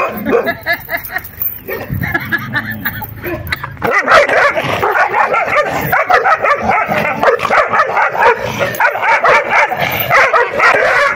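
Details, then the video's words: Puppies play fighting: a busy run of rough growls, snarls and short yips overlapping almost without pause, getting denser and louder after the first few seconds. "play Fighting Puppies The ferocious puppies won the victory"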